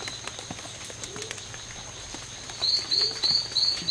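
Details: Oophaga pumilio males locked in a daytime fight at the C.R.A.R.C. reserve on September 10th, 2012; after a quiet start, five sharp high chirps follow one another quickly in the last second and a half, with faint low background sounds.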